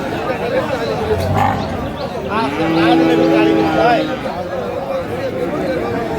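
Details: Friesian or cross-breed bull calf at Aftabganj cattle market (haat), Dinajpur, on 16 April; one low, steady moo of about a second and a half under constant crowd chatter and bargaining voices.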